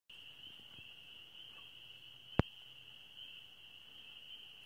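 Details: Spring peepers calling from a swamp on a May evening around nine o'clock under a bright moon; a steady, unbroken high-pitched chorus runs throughout, with one sharp click near the middle and faint low rumble beneath.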